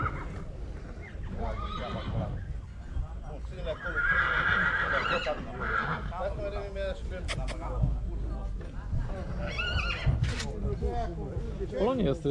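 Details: Heavy draught breeding stallion near Oradea, Romania, with a brief high whinny partly buried under constant crowd talk and background rumble.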